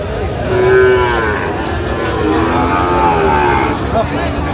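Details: Sahiwal bull calf at a livestock market in Chattogram, Bangladesh, on 4 September 2025, while a farmer buys it. A drawn-out, slightly wavering low moo of about a second rises above steady crowd chatter and men bargaining.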